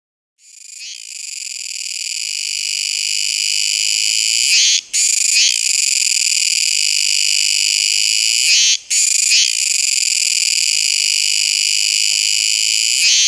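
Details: Kuroiwa tsukutsuku cicada calling: a loud, continuous shrill buzz with stacked bands, held for several seconds and broken by two short pauses, each followed by a brief stuttering restart.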